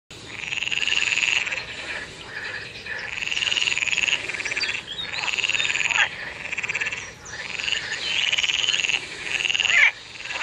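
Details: A frog calling in a water pond croaks in long, buzzy, high-pitched trills, repeated in bursts every couple of seconds.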